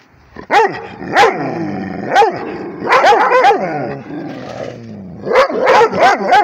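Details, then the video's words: A Rhodesian Ridgeback barks at a tablet, giving single sharp barks spaced about a second apart, then a quieter wavering whine, and finally a rapid cluster of loud barks near the end. "Rhodesian ridgeback barking at the tablet"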